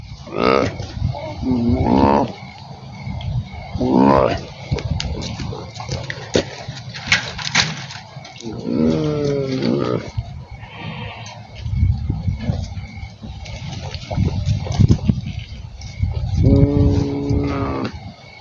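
A goat gives a series of odd, wavering bleats and strained nasal cries with pauses between them.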